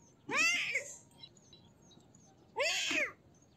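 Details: Pair of loud, drawn-out kitten meows, each about half a second long with a bright rising-then-falling harmonic stack, separated by a quiet pause of roughly two seconds.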